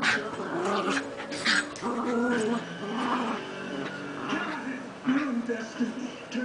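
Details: Two Miniature Schnauzers playing rough trade rumbling play growls and yips while wrestling.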